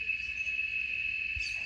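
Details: A cicada gives a steady, shrill, high-pitched drone holding one tone without pause at a rural homestead in Brazil, in the morning at the start of cicada season, with only very little rain so far.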